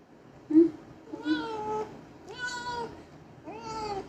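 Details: Pet domestic cats indoors, their voices described as cute: three drawn-out harmonic meows, each about half a second, rising then level, spaced roughly a second apart, with a short soft chirp first and a brief thump at the end.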